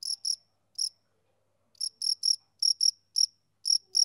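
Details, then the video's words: Male cricket chirping on a summer evening: short high chirps in irregular bursts, some paired, with a pause of about a second midway, against silence. "Cricket Chirping Sound Effect"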